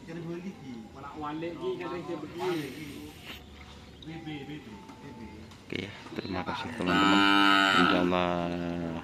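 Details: Cattle at a karapan sapi bull racing practice, team Boban Terbang, Asemanis field, Pamekasan, Madura: a loud, steady, drawn-out moo with rich harmonics near the end, after stretches of voices talking.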